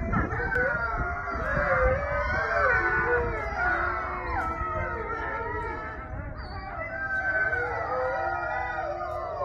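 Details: A Gray wolf (Canis lupus) pack gives an evening howl together, many long sliding tones overlapping in a wavering chorus; Gray wolf.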